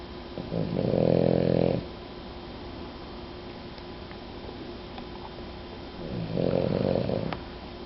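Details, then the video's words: Sleeping female dog snoring like an old lady indoors, two long harmonic rasping snores about five seconds apart, each lasting close to a second, with quiet breathing between. "the Snoring Dog"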